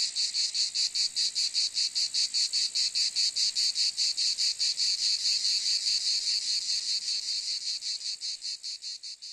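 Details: A cicada's rasping high-pitched call, chopped into fast, very regular pulses, about four a second, holding strong before fading away over the last couple of seconds.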